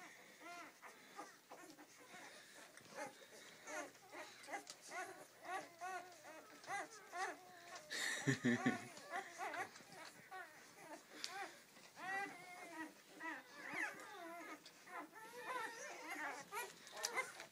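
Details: Seven-day-old Rhodesian Ridgeback puppies from a first litter: a steady chorus of overlapping high, squeaky whimpers and short rising-falling squeals, with a louder rustling bump midway and a soft human voice in the background.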